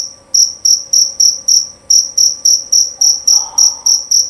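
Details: Male jerabang cricket calling loudly and clearly: short, shrill, high-pitched chirps repeated about three to four times a second in a steady pulse, with a brief faint murmur near the end.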